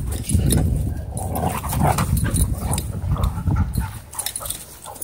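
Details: Playing dogs in a dog park, among them a German Shorthaired Pointer, huskies and a wolf dog, wrestling at close range; continuous low, rumbling play growls with yipping whimpers, loud and unbroken for several seconds.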